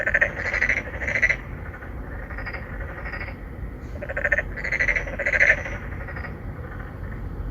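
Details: Narrow-mouthed frogs, an endangered species, three or four calling for females from a pond inside an apartment complex in Songdo, Incheon, Korea, phone-recorded on a Galaxy Note9; short throaty croaks repeat in quick groups, pausing briefly between bouts, over low hum.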